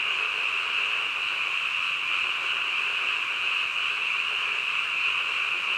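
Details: Chorus of frogs in the middle of the night, a seamless high-pitched trilling roar of countless overlapping calls, level and unbroken.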